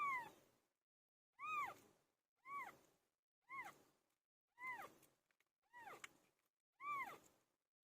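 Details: Domestic cat Pilo meows repeatedly during birth: seven clear meows, each curving upward then dropping, repeated roughly once a second in an even series.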